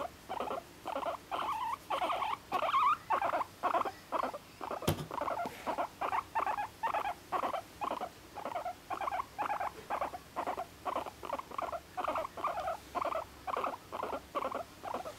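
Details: One-and-a-half-year-old pet guinea pig Moru-chan, an apartment dweller whose chatter includes kyun-kyun, honyo-honyo and an angry pui-pui. A steady pulsing series of short buzzy squeaks repeats about twice a second, broken once by a sharp click.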